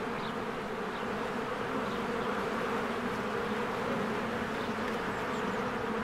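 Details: Spring beehive alive with honeybees coming and going, constant rich humming of countless wings, slight pulsing texture in the drone and scattered soft high bird calls in the background.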